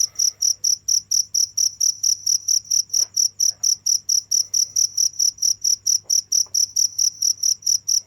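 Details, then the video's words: Unbroken cricket song, high-pitched chirps pulsing rapidly and evenly, roughly four per second, with a steady low hum and a few faint clicks in the background. "without stopping the sound of crickets for 15 minutes"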